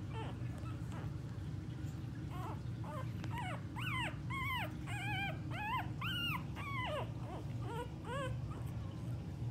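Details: Staffordshire Bull Terrier puppies, recorded 9-5-18, give high, rising and falling squeaky whines, repeated in quick bursts.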